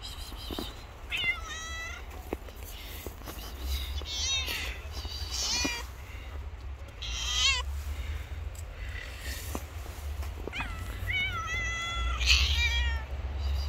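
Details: Hungry homeless stray cats on the street after snowfall, meowing repeatedly in harmonic, rising and falling cries that overlap from several animals across the recording, over a steady low rumble and scattered clicks.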